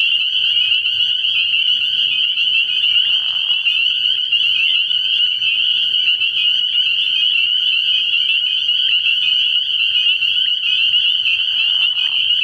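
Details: Spring peepers massed at a frog pond on an early-spring night, a relentless high-pitched trilling chorus of overlapping peeps, steady throughout with faint low murmurs below.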